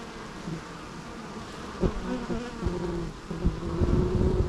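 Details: Bees buzzing: a steady low drone with a clear humming pitch and its overtone, swelling louder in pulses as insects pass close, with several overlapping wingbeat tones toward the end.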